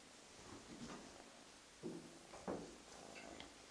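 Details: A lighter gray, solid male Russian Blue mix kitten with a white bib and socks, rescued and bottle-fed, gives two brief, soft meows in a quiet room while being cuddled.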